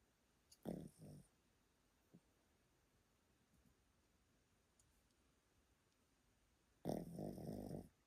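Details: Sleeping old Pomeranian named Yotaro in Japan gives a short double snort, then a long quiet pause with small clicks before a loud, rough snore of nearly a second in a small indoor room.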